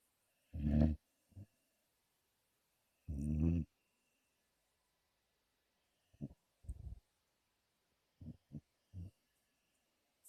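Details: Sleeping 5-month-old American Pit Bull Terrier snoring: two long, deep, rumbling breaths about two and a half seconds apart, followed by several short, soft low snuffles and clicks in an otherwise quiet room.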